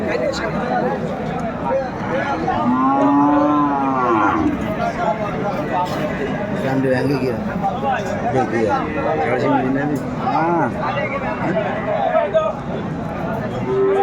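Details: Sahiwal bull calves at a cattle market near Dhaka, Bangladesh, on 30 November 2024: a drawn-out moo around the third second with a rising, wavering tone, amid steady crowd chatter and men talking.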